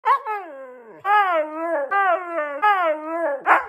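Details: A Siberian Husky dog 'talking': four drawn-out, wavering, howl-like yowls. Each bends upward and then slides down in pitch. The yowls are separated by short breaks and end with a brief rough, sharper burst.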